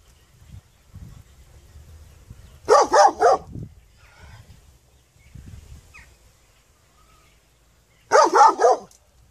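A dog gives short runs of rough, loud barks, three in quick succession, then pauses several seconds before another triple burst. Faint low rumbling background noise sits between the barks.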